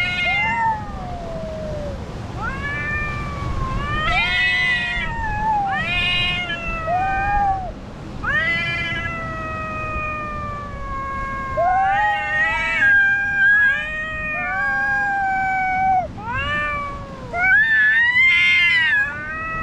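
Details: Cats in a fight on rocks trade long, sliding yowls and caterwauls. The wails rise and fall almost without a break, some held flat for several seconds, over a steady low background rumble.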